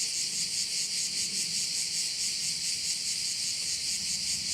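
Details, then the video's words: Crickets sounding over one of the bays of Korčula, Croatia, their massed high trill swelling and ebbing in regular pulses, with a soft low murmur beneath. "view of one of the bays in Korcula with sounds of crickets"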